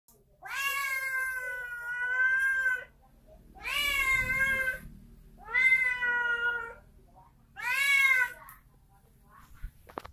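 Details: Domestic cat that wants to fight, indoors; four long, drawn-out wailing yowls, each about two seconds, wavering and slightly falling, separated by short pauses, with faint low rumble underneath.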